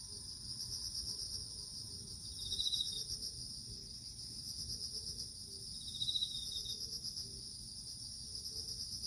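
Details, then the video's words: Autumn cricket chorus, a continuous rapidly pulsing high chirp that never pauses, joined twice by a short lower trill, with a soft low hum underneath. "볼륨을 키워서 귀뚜라미 소리를 들어보세요"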